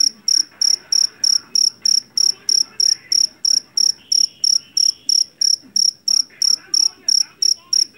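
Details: Javanese jangkrik jeliteng cricket from a rice field chirps shrilly and loudly, each short pulse-burst repeated roughly three times a second without a break. A faint whine and murmur run underneath.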